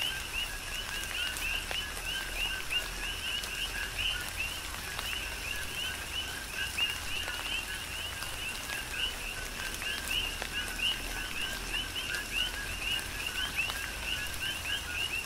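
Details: Tropical rainfall on the Big Island, Hawaii, with a rhythmic coqui frog chorus: many repeated two-tone chirps, low then high and rising, overlapping continuously, plus sharp drip impacts and steady rain noise.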